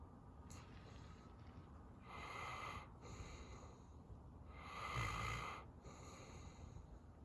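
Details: A sleeping dog snoring: two long, rasping, breathy snores, around the second and fifth seconds, separated by quieter wheezy breaths in a slow, uneven rhythm.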